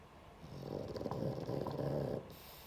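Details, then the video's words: Pug snoring while asleep: one low, rattling, pulsing snore lasting under two seconds in a quiet room, with a faint click at the end. "Мопс Шелдон храпит"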